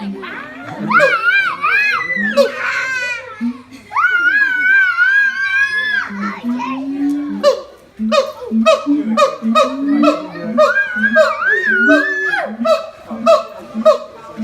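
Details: Siamang parents harmonising with high and low voices as their baby clings silently to its mother. Long wavering wails and a sustained rising note lead into a steady series of sharp barks over a low hum.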